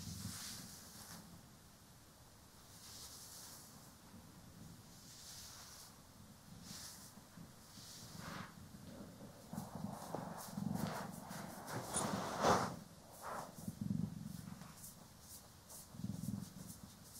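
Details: Cats Poki and Kiwi purring while being groomed and brushed, recorded in stereo; a soft, low, continuous rumbling purr runs beneath loud broadband brushing strokes and rustles that sweep across it every second or two.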